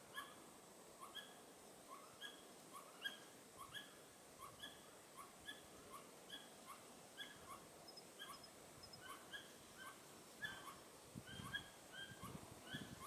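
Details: Pallas's squirrel on the Tiaoshui ancient trail, 15 April 2018, calling with its tail raised: a long steady series of short, harmonic chirps, roughly two per second, over quiet background hiss.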